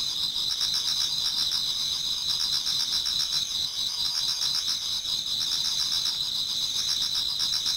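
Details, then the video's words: Towards dawn in autumn, numerous insects sing in a Japanese garden; bright sustained high trills hold steady while quicker pulsed chirps tick along underneath, an unbroken shimmering chorus. "Autumn Insects voice Towards dawn"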